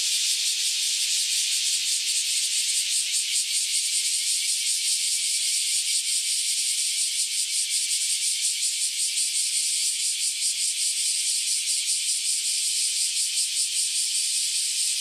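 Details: Dense chorus from recently emerged cicadas, which surfaced after roughly a decade in the soil: a loud, shrill, continuous buzz with fast, even throbbing pulses throughout.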